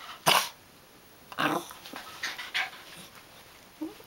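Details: Maltese puppy dressed as a panda for Halloween, reacting to the costume: a few short, sharp bark-like bursts spaced over about four seconds, fairly quiet, with a person's voice just before.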